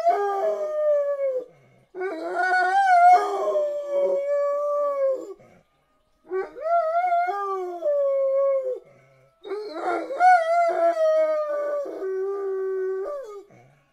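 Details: Black dog singing to the sirens in three bouts of howling, each a few seconds long with wavering, arching pitch and jagged yelping onsets, separated by short silent breaths.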